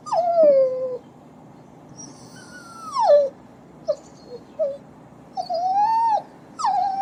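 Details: Puppies crying and whining: drawn-out descending whines, some rising then falling, separated by short sharp yelps and pauses, over a low steady background hum.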